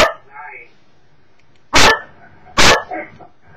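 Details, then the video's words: Cocker Spaniel barking at videos on a screen, webcam recording: two loud sharp barks after a stretch of faint murmuring and soft background sounds. "Cocker Spaniel Emmy bellt nach you tube videos"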